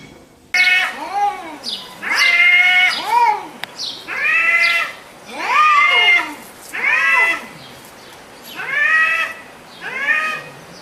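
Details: Cat and kittens mewing in a rapid series of about eight short arched meows, each rising then falling in pitch, bright and overlapping slightly, with a faint background hiss.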